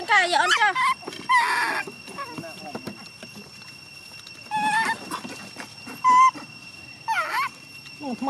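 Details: Young chimpanzee Gina crying and refusing to let her carer go home, loud wavering, bending cries in short bursts with pauses between, voices speaking quietly in Vietnamese in the background.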